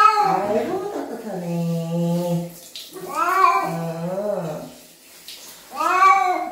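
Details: During a bath, a cat lets out a long, low, wavering yowl followed by two shorter rising-and-falling meows, loud and plaintive, with faint talking and bathroom echo in the background.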